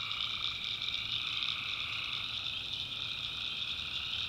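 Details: Night chorus of tree frogs from a backwoods swamp in North Carolina. A steady, high-pitched trilling wall of calls over a softer, lower pulsing layer, with no pauses.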